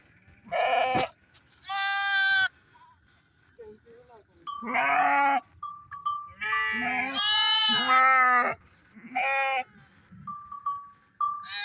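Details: Bighorn sheep bleating: a run of short and longer nasal, wavering bleats with brief gaps, some overlapping, plus a few faint thin whistled tones between calls.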